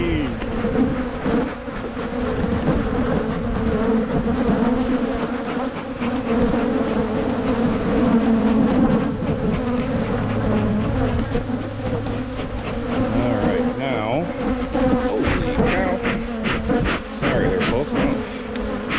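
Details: Honey bees humming during hive splitting in Michigan, done to prevent swarming; a sustained buzz overlaid by clattering frame and equipment noise, with a low engine-like drone in the middle.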